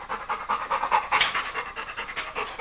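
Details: Female Labrador retriever panting while playing with a stuffed toy monkey: quick, breathy huffs repeating about five times a second, steady and close, with no other sounds over it.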